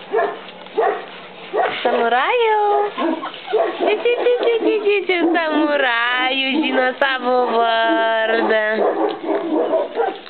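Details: Four-week-old puppies from the S litter at kennel Gruodas give long wavering whines and squeals that slide up and down, several in a row, with a person talking over them in Lithuanian.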